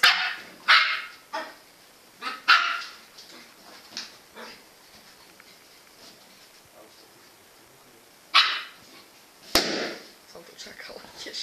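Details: Jack Russell Terrier Engy barks in short bursts: a quick cluster of sharp yaps at the start, a long quiet gap, then another bark and a loud sudden clap-like knock near the end.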